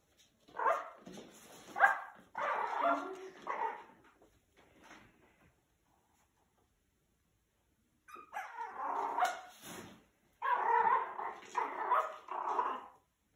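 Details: A teacup Yorkie squaring off against a German Shepherd. Rough, noisy barks come in clustered bursts, first around the opening seconds, then a quiet stretch, then two more loud runs of barking near the end.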